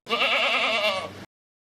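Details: Goat bleating in a single sustained, wavering nasal cry lasting about a second, bright and harmonic-rich, then abrupt silence; presented among farm animal names and sounds for children.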